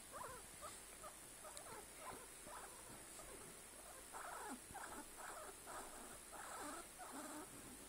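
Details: Guinea pig calling in short bursts, a few soft squeaks at first, then louder, broader rhythmic squeals in a run toward the end.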